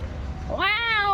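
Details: A cat coming over after a person imitates a cat's voice, answering with one long clear meow that rises sharply, then holds level and slightly falls, bright harmonics, over low background hum.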